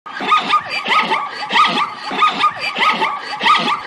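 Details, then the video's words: Zebra calling with harsh, harmonic barking yelps given in rapid rhythmic bursts, each rising then dropping, repeated about every half second without pause. "Zebra Voice"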